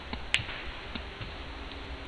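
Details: A whale, recorded underwater, gives a single sharp, loud click, used as a stunning burst of sound when hunting.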